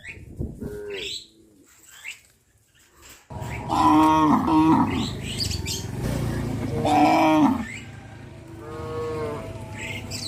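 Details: Cows of a herd heading out to graze within a settlement: after a quiet start with a few short calls, two loud, long, wavering moos sound around the middle, followed by a softer lowing call near the end.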